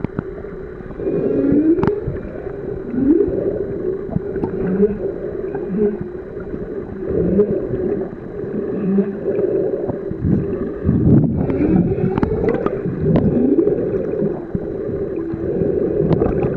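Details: Humpback whales singing underwater on Ningaloo Reef, recorded during a swim: layered moaning and whooping tones rising and falling, with gurgling water and a low boat-like rumble throughout.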